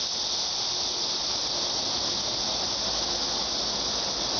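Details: A cicada's continuous high, hissing drone, flat and unchanging in loudness across the whole short stretch, with nothing else standing out.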